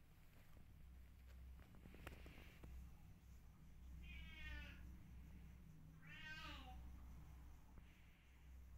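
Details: Rescue kittens meowing indoors: two short, high, harmonic-rich mews about two seconds apart, the second slightly longer and wavering, over a steady low hum and faint clicks.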